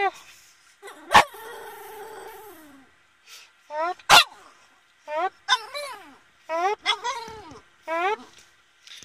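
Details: Boston Terrier howling indoors: a long wavering, falling tonal howl, then a series of short rising-and-falling yelping howls in broken bursts, with sharp clicking or tapping sounds between them.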